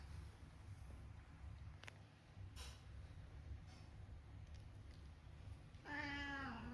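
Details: Domestic cat with a meow described as very uncool, giving a single drawn-out, slightly falling meow near the end after several seconds of low, rumbling background noise.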